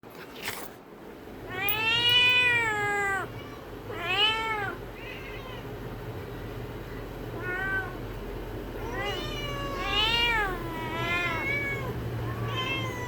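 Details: Village cat meowing repeatedly, drawn-out rising-then-falling meows, the first long and loud, followed by shorter and softer ones spaced irregularly, over a low steady background hum.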